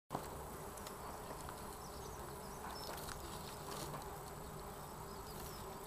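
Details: Red mason bees, Osmia rufa, a courting pair, give a steady low droning buzz with a faint hum band that holds through the clip, plus a few faint high ticks.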